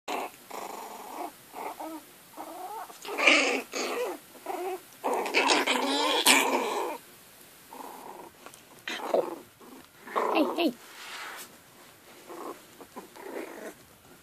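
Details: Chihuahua puppies at play indoors give short bursts of small growls and yappy grumbles, irregular and overlapping, with brief pauses between the scuffles.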